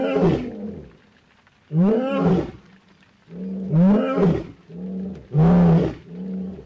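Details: Lion roaring at Naboisho Conservancy, Maasai Mara, Kenya, in the late evening after heavy rain. A male sits in wet grass as the pride roars nearby out of view. Deep, harmonic-rich roars come in swelling bursts, separated by short quiet gaps.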